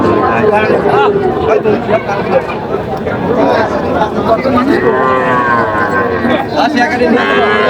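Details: Young Sahiwal bull and heifer calves at a cattle market in Natore, Bangladesh, on 5 July 2025; a few drawn-out, wavering moos rise through dense crowd chatter and haggling voices late in the stretch.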